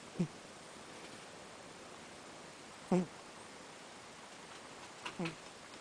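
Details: Nose snoring from Miiko, a house cat who came from an Ibaraki animal shelter via NPO ALMA; three brief, low, buzzy snorts spaced about two and a half seconds apart, soft against faint indoor background hiss.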